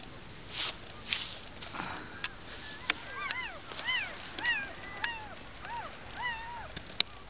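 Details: German Shepherd puppies born outdoors in a den under foliage, with their first-time mother, after loud rustling and thumps, start thin, arching, rising-and-falling whimpers, repeated about once a second, with sharp clicks between.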